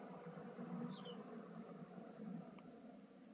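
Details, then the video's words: Honey bees during transfer from a traditional log hive to a modern hive in beekeeping; a close, steady hum of many bees with a wavering low buzz. "मुढेघारको मौरी आधुनिक घारमा राख्दै।"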